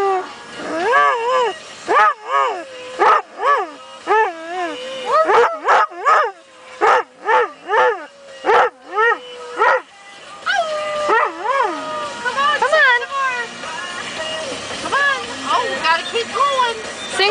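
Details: A young Airedale Terrier in a car, not in the front seat, sings along to a song on the radio. He gives tuneful, quavering howls that bend up and down in pitch, in quick bursts then longer notes, with a faint human voice.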